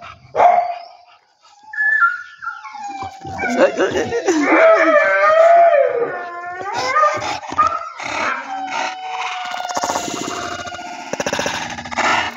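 An English Bulldog gives wavering, drawn-out howls and whimpers, with music faintly underneath.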